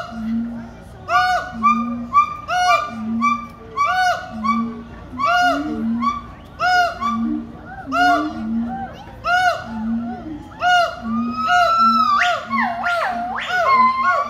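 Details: Siamang (Symphalangus syndactylus), territorial call: defending territory.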